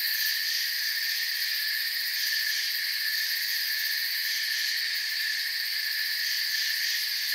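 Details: Crickets in a forest, heard as a dense, unbroken chorus of high, shimmering chirps in stacked bands, steady and even in loudness throughout, with no other animals, voices or music.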